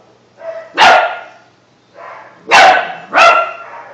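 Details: Young German Shepherd mix puppy Bunk, over two months old, getting used to his barking: loud, sharp harmonic barks, each preceded by a softer whine-like lead-in, three barks within four seconds.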